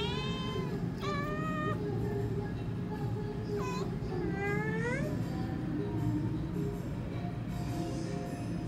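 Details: Several kitten meows above constant low background hum, a string of short harmonic mews in the first five seconds, some arching upward and falling, then fading into the drone with faint later cries.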